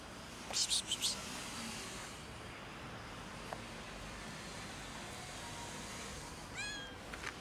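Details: A cat up on a roof asks for help getting down, giving a quick pair of high, strained meows, a long quiet pause under steady background hiss, then a final short arched meow.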